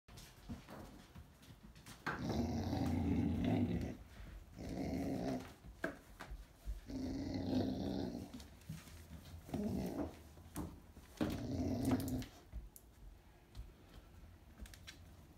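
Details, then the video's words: Dog making its usual funny noise while holding a toy in its mouth: muffled, throaty growl-moans in bursts of one to two seconds, about five in the clip, with short pauses between. "Buzz makes noise when he holds his toys in his mouth."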